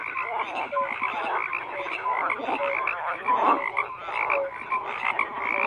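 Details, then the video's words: Crowded frog chorus of rough, pulsing croaks and trills, with short clear higher notes popping out now and then above the busy background of overlapping voices. "FROGS CROAKING"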